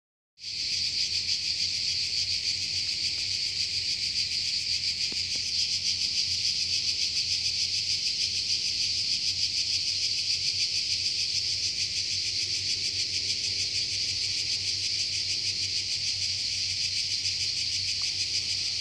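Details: In a forest in Croatia, a cicada's steady, hissing buzz drones on without a break, high and loud throughout.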